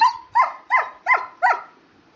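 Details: Talkative German Shepherd puppy at home while its owner tells it to lie down and sleep: five sharp, high-pitched yips in a steady run about one every third of a second.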